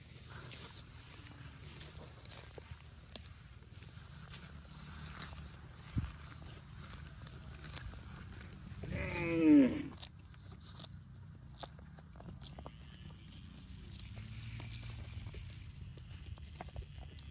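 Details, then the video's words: Cow eating grass gives one short moo midway, a downward-curving harmonic call lasting about a second, over low rustling and munching noise with faint background hum. "Cute and Funny Cows sound eating grass"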